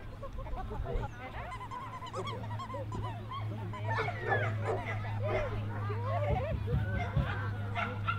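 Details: At the Jack Russell Terrier Club of NSW Speciality Show in Orchard Hills on 15 October 2015, a Jack Russell Terrier gives rapid high yips and whiny squeals that bend up and down over a constant low hum and faint chatter.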